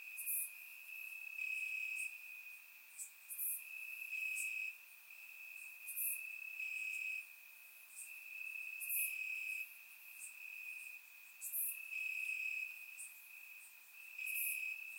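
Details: Crickets chirping in grass on a warm summer night in Bulgaria, recorded with a surround microphone: a steady high trill with brighter bursts every second or so, plus sharper high clicks about every three seconds.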